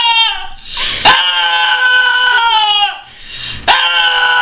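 A dog gives long, loud, rich-toned whines that waver and sag in pitch, broken by a couple of sharp clicks, giving a clucking, chicken-like quality.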